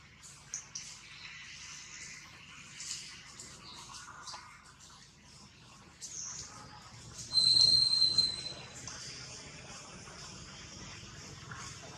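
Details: Newborn monkey Jody, carried by the kidnapper Spring, gives a loud, sustained, piercing whistled cry of nearly a second, slightly rising, after a stretch of faint scattered squeaks and soft rustling noise.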